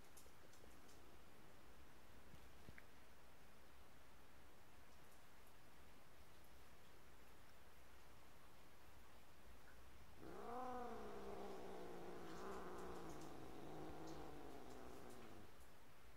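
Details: Domestic cat likened to a tiger: after ten seconds of quiet room hiss, a long drawn-out harmonic yowl begins, wavering and slowly falling, lasting about six seconds to the end.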